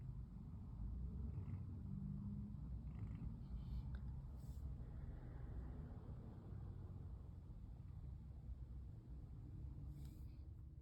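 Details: Relaxed female brown tabby cat, curled up and enjoying being stroked, purrs in a continuous deep rumble, broken by a brief soft squeak early on and light rustling near the end.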